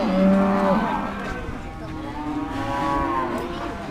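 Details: Market cattle at the Dimoro cattle market in Blitar before weighing: a short, loud, deep moo opens, then a longer, gently rising and falling low, with faint crowd noise.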